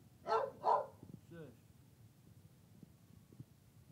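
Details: Female dog at a workplace shortly before being taken outside for a bathroom break: two sharp barks close together, then a brief wavering whine-like vocal sound and quiet knocking.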